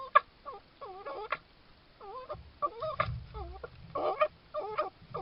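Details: A red fox in a Suffolk garden, caught on a trail camera on 19–20 July 2022, gives short, wavering whines in quick succession, broken by sharp clicks and a sneeze.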